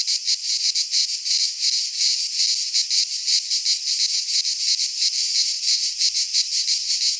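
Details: Cicada song from a pine forest in Greece during midsummer: sizzling high buzz that swells and fades in brisk beats, roughly three each second, nothing else audible.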